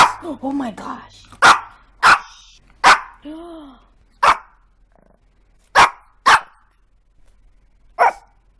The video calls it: Latidos de cachorros: os mais fofos e engraçados